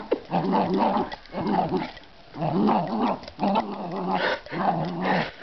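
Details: Dog named Breesy growling while playing tug of war; five rough, low growling bursts of about a second each, separated by short quiet gaps.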